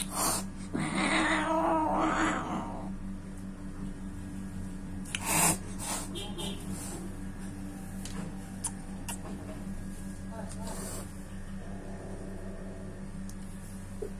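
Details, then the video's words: A cat attacking another cat's kittens: a loud, drawn-out harmonic yowl swells and wavers for about two seconds near the start, then sharp clicks and thumps follow over a steady low electrical hum. "when cat attuck another kittens"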